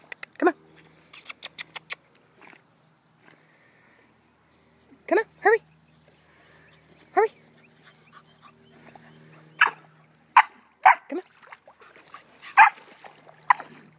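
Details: Pet dogs, an Australian Cattle Dog and a Pembroke Welsh Corgi, swimming in a pond; sharp high yips and short barks scattered through the clip, with a person's voice urging them on and faint splashing.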